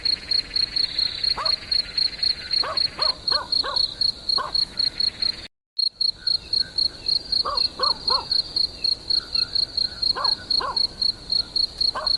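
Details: Cricket chirping steadily at a high pitch, about four pulses per second, with scattered short lower-pitched calls from another animal and a brief silent gap halfway through.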